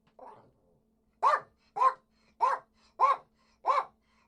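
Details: Poodle with one low, muffled opening woof, then five bright, clipped barks spaced about 0.6 seconds apart. A faint steady hum sits underneath.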